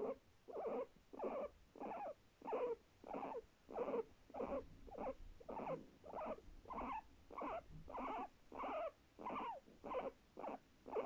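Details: Domestic guinea pig giving rhythmic barks: short, harsh, mid-pitched calls repeated steadily, roughly one every 0.6 seconds, over a quiet indoor background.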